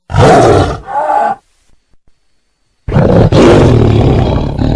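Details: Short, loud tiger roar with a grating, breathy texture, followed by silence with faint soft sounds, then a second strong, rumbling roar that carries on to the end.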